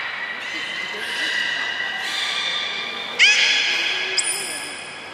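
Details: Training belugas Gray, Nana and Niko, Port of Nagoya Public Aquarium, 14 October 2019. Sustained reedy harmonic tones shift pitch in steps, then a sudden bright rising chirp and a high thin whistle, echoing indoors.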